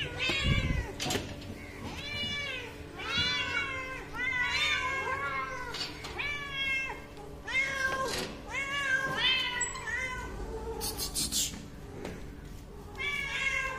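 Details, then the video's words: A hungry kitten wanting food gives a steady run of meows, each a rising-then-falling harmonic cry about a second apart, some drawn out and some clipped, over a low steady hum with occasional clicks. "Hungry kitten meows and want to eat"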